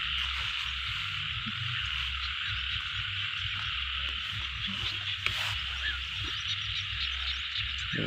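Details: Frog chorus in a paddy field, a continuous high, buzzy trilling wash with no pauses over a faint low hum, broken only by a single sharp click near the middle.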